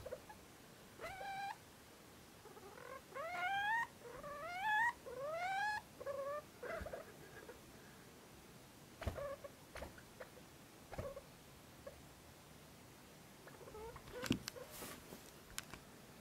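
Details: Sleepy degus whining: a series of rising, harmonic, squeaky whines, each about half a second long, clustered in the first seconds, followed by quieter scattered clicks and a few short squeaks.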